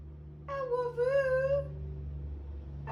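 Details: Coop, an English Springer Spaniel kept indoors during Tropical Storm Debby, gives a single wavering, whiny howl lasting about a second, held steady with slight rises and falls, against a low constant hum.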